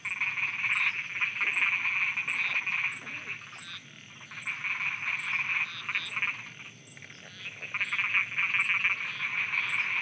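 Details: Thai frogs croaking after dark: a dense chorus of rapid grating pulses in long waves that fade and return, with quieter gaps between and a thin insect tick running throughout.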